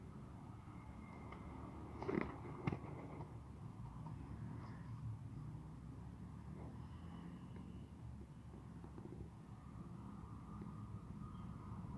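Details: Quiet outdoor background hum with low traffic rumble and a few faint knocks, no animal calls heard.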